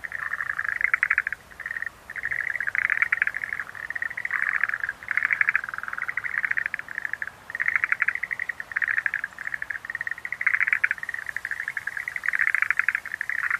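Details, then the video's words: Dense chorus of Schlegel's green tree frogs: buzzy, rapidly pulsed trills stacked one after another with barely a gap, a few louder bursts standing out above the steady rattling. "Sounds of nature scenery-Rhacophorus schlegelii"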